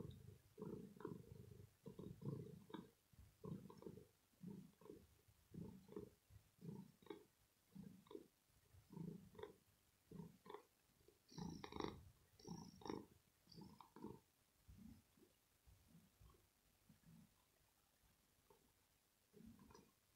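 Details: Female pet cat purring deeply from the throat after playing, showing calm and happiness; quick uneven low rumbling pulses, louder in the middle and fading quieter toward the end.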